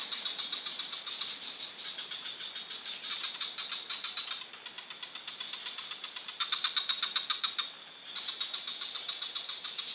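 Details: Rapid clicking frog calls repeat almost four times a second from several animals, rising and fading in loudness, with a louder burst near the end. A constant high insect-like hiss lies underneath.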